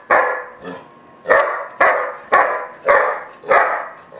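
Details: Barking fit from a roughly 4-5 month old German Shepherd puppy called Gunner during a tantrum: six rough barks spaced about half a second apart, steady and insistent.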